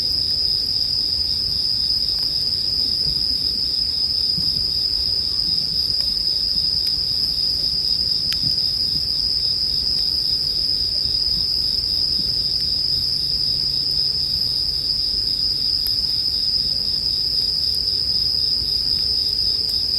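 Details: Bell cricket chorus with a bonfire: a constant, bright, high insect ringing stays level for the whole stretch, and scattered soft ticks of crackling wood sound now and then.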